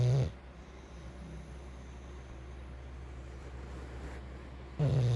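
An English Bulldog snores, giving loud, rumbling, low-pitched breaths at the start and end with a soft hum between.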